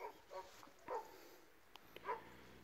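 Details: Barking from an Illyrian Shepherd and a Presa Canario mix: four short, deep, harmonic barks spaced irregularly over about two seconds, with a person calling out between them and faint outdoor background noise.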